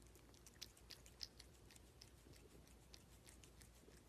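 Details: Close ASMR pickup of a cat eating food: rapid, irregular crunchy clicks from biting and chewing, some louder snaps standing out, with a soft hum behind.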